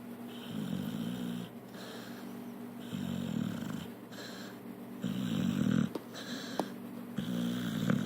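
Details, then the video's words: Tika, a female pit bull, sleeping and dreaming on a couch indoors, snores in a slow rasping rhythm, each rough low breath swelling and fading about every one and a half seconds, with faint clicks and soft rustling between breaths. "My snoring, dreaming pit bull."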